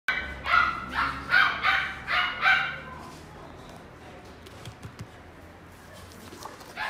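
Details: Male salt-and-pepper Miniature Schnauzer, born 3 February 2018, in a pet shop: five quick, sharp barks in the first three seconds, then quiet room noise with faint clicks and one last bark at the end.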